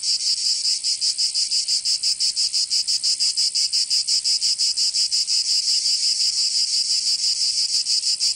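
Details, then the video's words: In Provence, southern France, cicadas sing through the summer heat with a continuous shrill rasp beating in fast, even pulses near three per second, unbroken by other noise. "Canto Cigarra 🦗 [ Escuchar les cigarras en verano 10 H]"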